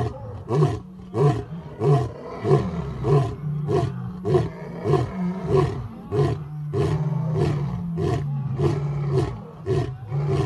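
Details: Male lion, pride leader at a big cat sanctuary in Africa, roaring at sunset: a series of deep, grunting roars repeated roughly every half second.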